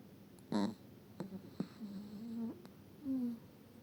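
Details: Eva the Chihuahua from Sochi snoring: a strong snort near the start, then short puffs and drawn-out low whistling, wheezy tones rising slightly at their ends, all quiet and close.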